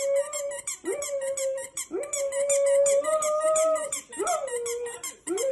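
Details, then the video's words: Repeated long Golden Retriever howls, each sliding up then holding a steady tone for about a second. Five or six follow one another almost without pause, over a thin layer of high, rapid squeaks. "Golden Retriever Barking Sounds To Make Your Dog Bark | Aggressive Growling"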